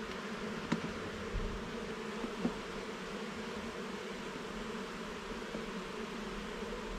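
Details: Steady buzzing of a honey bee colony in a garden hive under inspection, the hum holding constant throughout, broken by occasional knocks and clicks of hive parts being moved early on.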